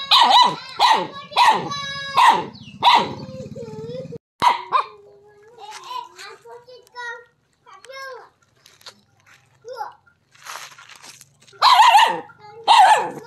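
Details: Dog barking at a non-venomous snake called the frog snake: bursts of hoarse barks at the start and end, with people talking in between.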